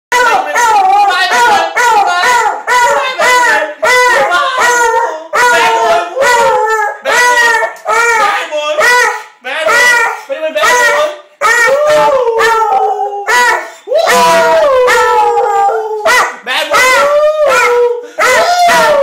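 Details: A beagle crying while its owner is home. Loud, high, tuneful whines and yelps come in quick succession. Many slide down or wobble in pitch, with occasional longer drawn-out wails. The sound is nearly continuous, with only brief gaps between bursts.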